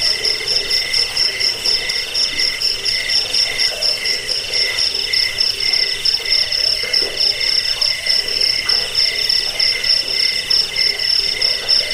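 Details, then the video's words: Chirping cricket, offered for chasing off rats, bedtime listening and bird song training; a shrill, beaded trill keeps a regular pulse beneath a dense, unbroken high hum, with no other clear sounds. "Suara jangkik pengusir tikus pengantar tidur"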